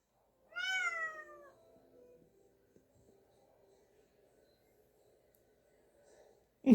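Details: Rescued street cat Podo calling to come into the room during laundry folding: one drawn-out meow falling in pitch at the start, followed by near silence indoors and a sharp thud at the end.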